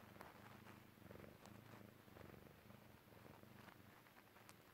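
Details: Persian Chinchilla kitten purring while relaxing and falling asleep; a low, steady rumbling purr in rhythmic pulses, broken by soft rustles and light clicks.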